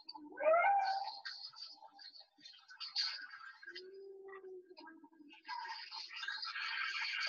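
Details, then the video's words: Recorded humpback whale song, sung only by males, replayed during a session on Salish Sea marine mammals off British Columbia: a quick rising whoop, then a low steady moan, ending in rough broadband grunting noise. "So here's a little humpback whale song for you."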